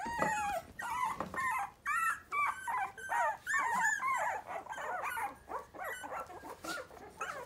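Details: A litter of five Miniature Pinscher puppies, three weeks old, three standard females and two chocolate males, whimpering and yipping together indoors. Rapid overlapping squeaky whines and yips follow one another about twice a second.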